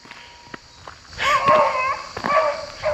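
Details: Hunting dogs bay and howl in the distance from a field during squirrel hunting season, in drawn-out, wavering tones that overlap. A faint thin whistle and a few nearby footsteps come first. Killdeer Plains Wildlife Area, Ohio, on a cool morning, September 2, 2024.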